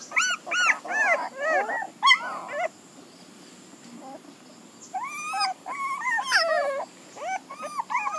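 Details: Several puppies whine and yelp in overlapping, wavering cries that rise and fall sharply. Busy bursts are broken by a few seconds of near silence before another cluster of drawn-out whimpers.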